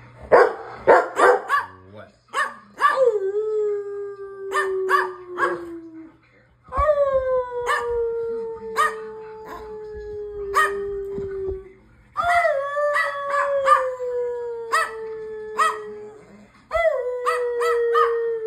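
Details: Standard poodle mixing quick barks with long, drawn-out howls that slide slowly downward and last several seconds each, repeated three times; a person calls "come here" at the start.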